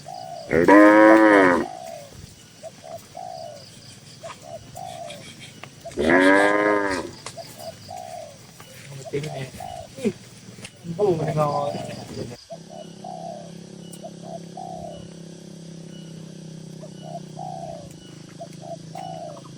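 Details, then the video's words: Dozens of tame cattle in a farm pen moo three times, several seconds apart. Each moo is loud, drawn-out and rich in harmonics. Softer short hooting notes repeat in between, with steady barn hum in the background. "Suara Moo Moo Sapi"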